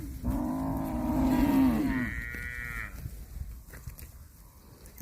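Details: A cow eating grass lets out one long, deep moo that shifts upward into a higher, nasal tail near the end, then quiet grazing noises follow.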